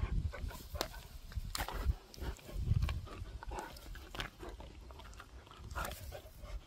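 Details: A dog named Gorlock The Destroyer grunts while eating and playing, a close, low, snuffling series of rough grunts with sharp clicking bursts scattered throughout, some louder snorts near the middle.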